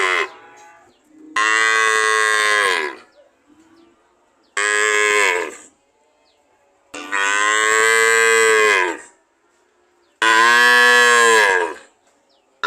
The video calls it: Sound of cow - .